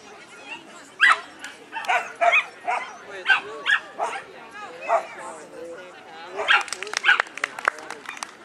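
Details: Labrador Retriever at a trial in Monroe, Washington, barking and spinning. Sharp, short barks arrive in quick bursts, roughly a dozen over eight seconds, with people talking in the background.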